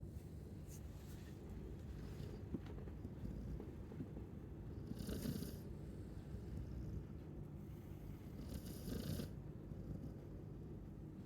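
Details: Chow Chow snoring, with two soft broadband breathy snores about four seconds apart over a steady low rumble.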